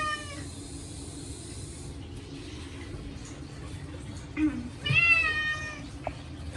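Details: Short-legged male Munchkin named Chacha yowling in the bath, his first in a year, scrubbed with catnip shampoo; a cut-off meow opens, then after quiet rustling and a soft human murmur comes one short, wavering meow.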